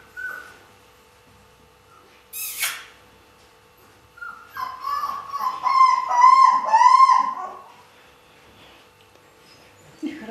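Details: Siberian Husky puppies, archive recording from 2015: a few short soft whimpers, then a louder run of three wavering, howl-like whines with rich overtones, each rising and falling, in a quiet room with a faint steady hum.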